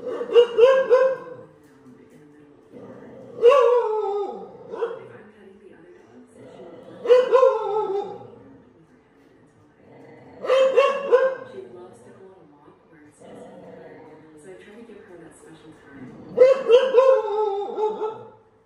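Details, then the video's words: A dog barks at a painting of a dog on TV, repeating bursts of two or three quick, ringing barks roughly every three to four seconds over a steady low background hum. "Dog barking at a painting"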